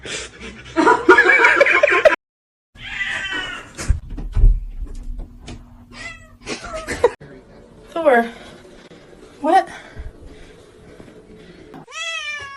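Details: Domestic cat meowing in several short bursts, some rising and harmonic-rich, others drawn out; a final clear rising meow at the end, with people talking and music between calls.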